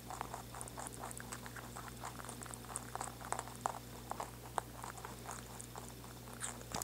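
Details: Pet rabbit gnawing in a small room: dense, irregular crisp crunches and clicks come in quick bursts, over a steady low mains-like hum.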